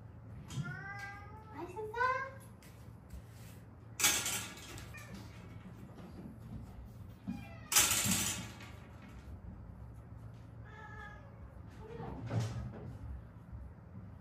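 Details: Mother-and-daughter street cats rescued in Haeundae after surviving seven years with badly healed fractures; several short rising meows early on and a softer pair later, broken by loud bursts of handling noise and a voice.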